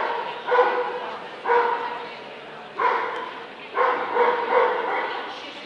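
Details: At the 2012 Scottish Dobermann Club championship show, Limit Dog class, a Dobermann barks in separate harsh bursts, about six across the stretch, the last three coming closer together.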